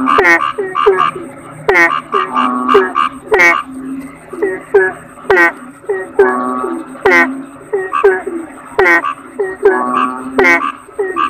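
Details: A chorus of kodok bangkong, the Asian common toad, keeps up overlapping nasal croaks about once a second or faster. Many calls start high and fall sharply, layered over a low droning hum, with a faint high whine.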